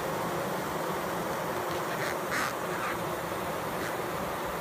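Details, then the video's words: Bees fanning at close range make an unbroken buzzing drone. Around the middle, a few short, nasal, quack-like bursts rise briefly above the steady hum. "Close up HD bees fanning"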